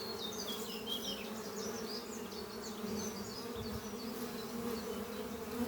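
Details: Spring-morning hum of honey bees at a busy hive under trees, a colony that wintered well; constant buzzing drone under lively, twittering birdsong high above.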